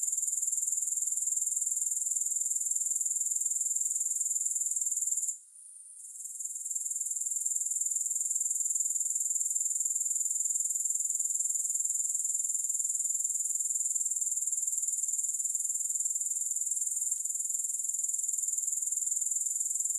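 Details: High, sizzling grasshopper stridulation running nearly unbroken for twenty seconds, with one short gap around five seconds and a steady rapid pulse otherwise.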